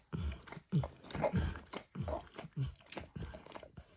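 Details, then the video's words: Max, a pet dog, licks a bumpy orange mat spread with eggs and diluted peanut oil: wet, smacking tongue strokes with low thumps, about one or two per second in uneven rhythm, recorded close up with no talking. "ASMR Dog Licking"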